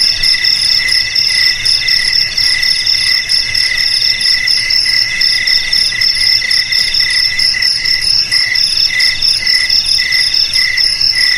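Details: Steady cricket chorus: a shrill, ringing trill that never pauses, with layered high tones beating quickly against each other throughout.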